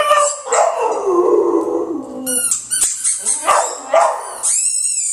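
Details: Pet dog Butch howls at a really loud squeaky ball; wavering, yodelling howls mixed with short yips and bark-like breaks, sliding up into high squealing tones near the end.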